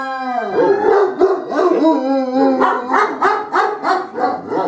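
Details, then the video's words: Two young dogs, aged 2, answering a fire siren with quivering howls that break into short yelping pulses, repeated roughly three times a second toward the end. "Dogs Dislike Firesiren"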